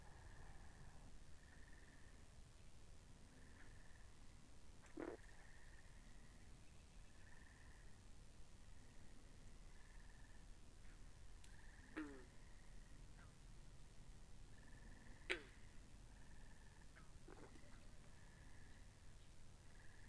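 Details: Frogs call by a pond in a soft, steady chorus of short, repeated trilling notes over a low background rumble, recorded binaurally.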